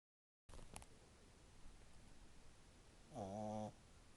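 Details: A French Bulldog puppy, asleep after ten minutes of playing, gives one loud, buzzing snore over a low background hiss.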